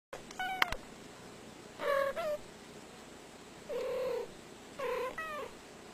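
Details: Domestic cat meowing in short separate calls, with harmonic tones around one second apart in bursts, a sharp click near the start, otherwise quiet indoor background.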